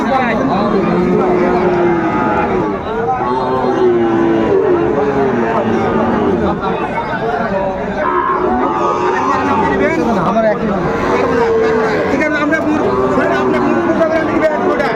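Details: Sahiwal bull calves, about five months old, offered for sale at the start of Raniganj market in Dinajpur on 20 February: repeated drawn-out moos, rising and falling, beneath constant crowd chatter and bargaining voices.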